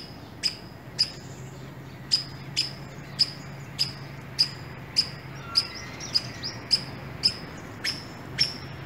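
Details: One of a pair of squirrels met on an early morning walk in an urban area gives sharp, high, clicky chirps. It repeats them roughly every half second over a low steady hum of passing vehicles.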